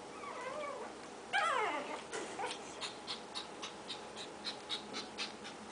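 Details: Four black Shih Tzu puppies give a thin, high whine, then a run of quick, squeaky yelps.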